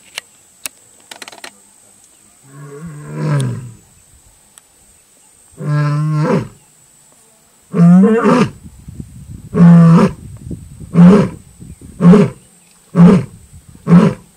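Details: In Africa, a lioness roars: two long, deep moaning roars followed by a run of shorter, grunting calls.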